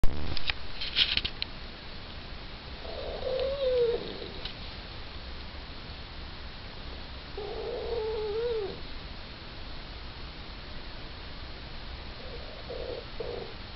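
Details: Small Yorkshire Terrier asleep, making sleep noises: soft whistling, whiny nasal tones breathed out about every four to five seconds over a quiet indoor background.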